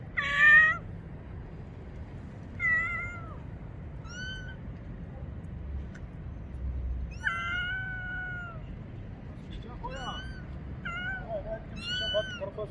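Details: Frightened little kitten calling for help outdoors near a bathroom, hiding behind a motorcycle; about eight thin, high meows, short and falling or longer and level, spaced a second or two apart over faint steady hum.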